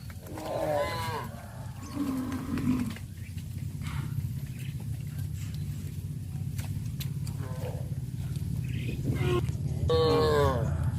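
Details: Tame cows herded to a grazing field; a bent, wavering moo opens, a low groan follows, then a long stretch of rumbling ground noise before a final rising moo.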